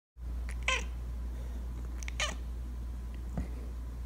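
A Bengal cat gives two soft, brief chirping murmurs in its sleep over a low steady hum.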